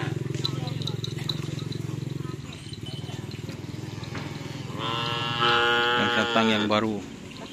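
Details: Cattle at karapan sapi bull race training in Asemanis, Pamekasan, with a champion bull from Sapudi Island; a low rumbling drone gives way to a loud, drawn-out harmonic moo rising then falling, with background chatter.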